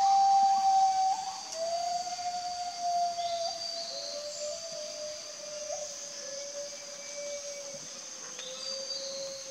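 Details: A Kloss's (Mentawai) gibbon gives its morning call of long, pure whistled notes that slowly slide lower, over a steady insect hum.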